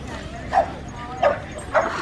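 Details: Bronx, a French Bulldog said to be upset with his owner, lets out three short, yippy barks about half a second apart, each a quick mid-pitched burst over a quiet background.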